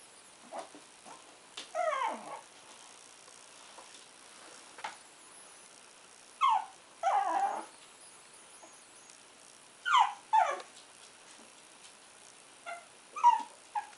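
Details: Puck, a two-month-old Shih Tzu puppy, gives high, falling whimpers and yelps in short clusters, several seconds apart, against a quiet indoor background.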